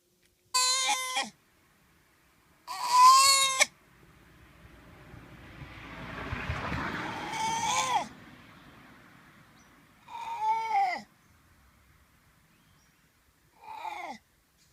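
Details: Koala joey crying after being chased down from a tree: loud, harsh, wavering cries in separate bursts a few seconds apart, some sliding downward, with a rustling, breathy noise swelling between them.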